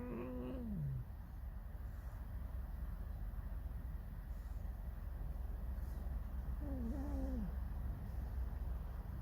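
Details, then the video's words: Pet fox creaking and singing a mournful song: a wavering, harmonic whine that slides downward at the start, then after a long pause a second quavering, bending whine near the end, over a steady low hum. "Lis Alicji. Skrzypi, śpiewa smutny piosenkę"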